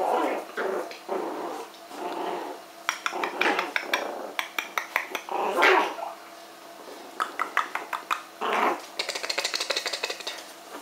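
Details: Norwich Terrier puppies from Grand Villa Rose kennel, indoors, trading rough playful growls and short yappy barks in bursts, with some squeaky high yelps toward the end.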